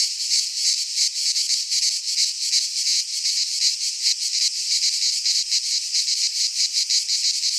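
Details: Cicadas in a Greek pine forest at midsummer, many insects buzzing together in a harsh, rattling high drone whose loudness wavers irregularly, without other animals.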